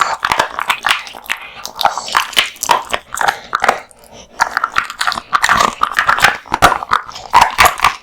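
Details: Male American Bully eating raw meat and bones indoors: dense, irregular crunching and wet biting clicks, continuous gnawing with brief pauses.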